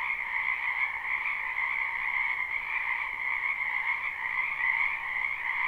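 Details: Frogs of a spring wetland heard from a distance, softer, forming a continuous trilling chorus of many overlapping voices, even and unbroken across the whole stretch.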